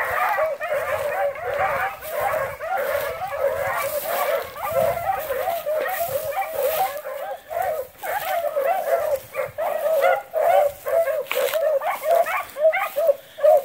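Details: A pack of rabbit-hunting beagles bays in an overlapping chorus of ringing, mid-pitched howls while pursuing cottontail rabbits.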